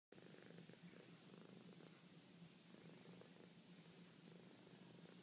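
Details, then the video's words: Fran, a female pet cat called Franny, purring softly while at her sweetest, a steady low rumble pulsing in even waves throughout, close and quiet with faint room hiss behind. "Franny Purr"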